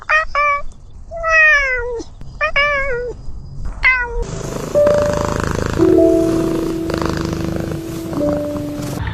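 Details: Domestic cat giving four drawn-out meows that rise slightly and then slide down, spaced about a second apart, over the first four seconds. Loud music with sustained tones then takes over and buries the rest of the recording.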